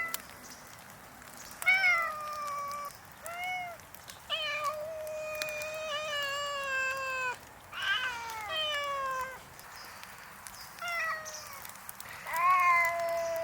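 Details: Several hungry community cats meowing in a riverside park along the Tama River, Japan, on a snowy morning: repeated drawn-out, wavering meows from more than one cat, some overlapping, loud and insistent, over a quiet outdoor background.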